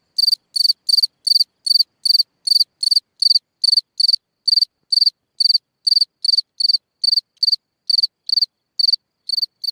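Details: Singing cricket from a hole in the ground at night: a long, regular stream of shrill chirps, about two to three each second, slightly uneven in spacing, over silence.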